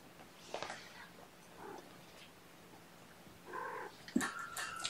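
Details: Sleepy kittens in a gentle wake-up cycle, snuggled with a person indoors on weigh-in night; a soft, faint harmonic mew near the end, with a brief earlier call, quiet rustling and a sharp click.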